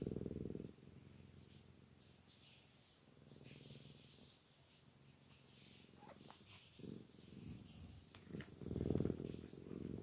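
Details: Maine Coon cat purring: a low, steady rumbling drone that swells and fades in a few louder bursts near the start and end, with faint rustling in the background.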